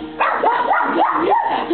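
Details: A pug barking at a television when animals appear on screen, short arched yelping barks, about four in quick succession, with television speech and music faintly underneath.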